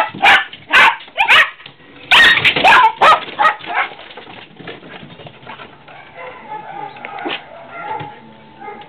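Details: Pet dogs barking at squirrels outdoors: a run of loud, sharp barks in quick bursts over the first four seconds, then fading into softer yelps and whines, with a person calling them back inside at the end.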